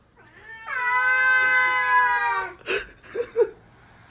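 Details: Domestic cat giving a long, loud, drawn-out meow with steady harmonics lasting about two seconds, followed by brief rustles and thumps.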